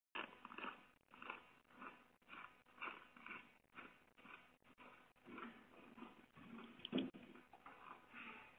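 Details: A curious moose that seemingly "only wanted to chat" with a man, who hid in his shed, gives a run of rough, breathy grunts at a quick, uneven pace.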